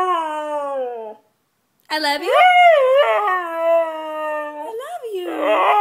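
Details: White Siberian Husky singing loudly: a steady, slightly falling howl, a brief silence, then a louder howl that swoops up and wavers, holds a long even note, and ends in rougher, yodelling rises and falls.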